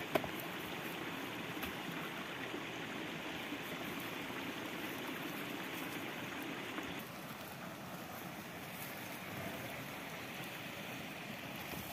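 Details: Steady rushing water, like a mountain stream, runs throughout with no animal voice.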